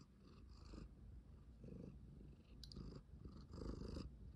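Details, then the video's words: Domestic cat purring in a cat tower room where something fluffy has been placed, recorded 13 November 2023; low continuous rumbling purr with a few soft rustling bursts. "cat purr"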